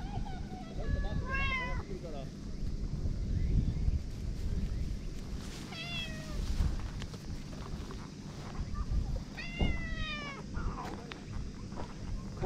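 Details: Aggressive stray boss cat at a Japanese harbour in early evening; three bursts of wavering, rising-then-falling meows about four seconds apart, with a person talking quietly and a steady low mechanical rumble underneath.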